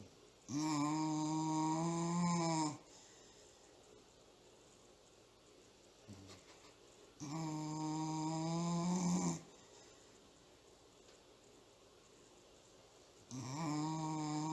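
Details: Thor, a dog in serious nap time, snoring hard like a grown man: three long, loud, harmonic rasping snores of about two seconds each, separated by quiet pauses of roughly four seconds in a small indoor room.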